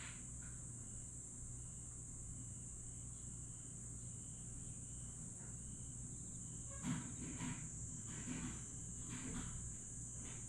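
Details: Grass insects chirp on a summer night at Aewol, Jeju, on 22 July 2022. A steady, very high-pitched shrill drone runs throughout, with softer repeated chirps above a low rumble. Rustling, noisy bursts come in after about seven seconds.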